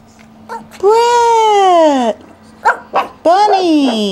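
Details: Male Pekingese puppy from a breeder in Akron, Ohio, giving a long high whining yelp that falls in pitch, then short yips and a second rising-falling whine, with a person calling to it.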